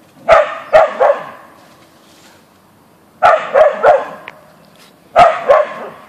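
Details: Boeing the Siberian Husky, an Ausky, confronting a deer in the backyard with rapid triplet barks, three clusters separated by short quiet gaps.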